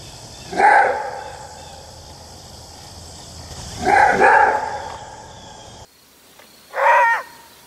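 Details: Maned wolf (Chrysocyon brachyurus) gives three loud, hoarse single barks a few seconds apart over a steady background hiss.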